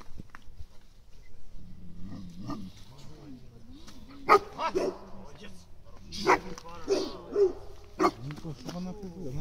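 A shepherd dog gives sharp, spaced barks while on guard, with people talking close by.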